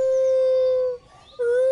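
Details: A young siamang, orphaned and raised by a person, unable to climb and living on the ground, gives a long, steady, hooting wail, breaks off briefly, then starts again, said to be longing for its mother.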